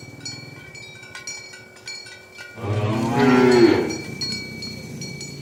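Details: Herded village cows heading to the pen in the morning; amid scattered bell tinkles, one cow lets out a hoarse, rough-edged moo lasting about two seconds, loud and breathy before fading back to bells.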